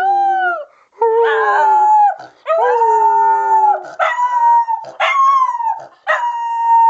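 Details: Female Miniature Schnauzer, three years old, "talking" on cue as a taught trick, then howling with a person: a series of drawn-out, wavering tonal howls with rich overtones, each one to one and a half seconds, separated by short breaks.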